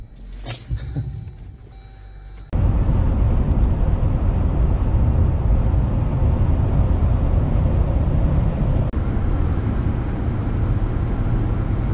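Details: A few quiet knocks and jingles give way, after about two and a half seconds, to a loud, steady car engine rumble that continues to the end.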